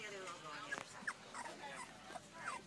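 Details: Two-week-old puppies from Paris and Dutch's litter, born July 15th, eyes just open and all trying to walk, give a few short, high squeaking whimpers at irregular intervals while a person talks over them.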